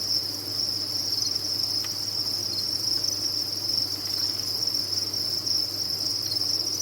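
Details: Many crickets kept at a cricket farm sing in a dense, unbroken high-pitched chorus, a steady shimmering trill with no pauses, over a faint low hum and a few soft clicks.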